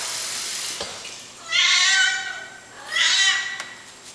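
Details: Domestic cat, a male kitty named Micro, demanding his food early in the morning indoors: two drawn-out, harmonic meows, each rising then falling, about one and a half seconds apart, with a faint click between.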